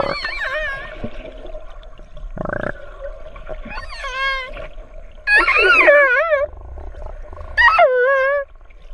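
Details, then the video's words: Orca vocalising with sweeping, warbling cries rich in harmonics, some rising sharply and then dropping. A short buzzing pulse burst comes early, and a steady mid-pitched drone runs underneath. "Nyanyian merdu Paus Bungkuk & Paus Orca"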